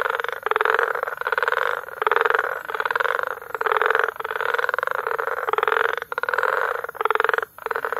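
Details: Tanzanian frog concert from Bagamoyo in May: overlapping buzzy, rattling croaks in bursts of about half a second to a second, with few short silences between them.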